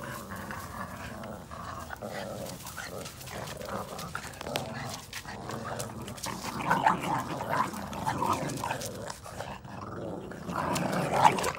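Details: Red/brown Boston Terrier puppies playing tug of war over a chew ring growl in rough, rumbling bursts with small yips, sounding like little wolves but just having fun.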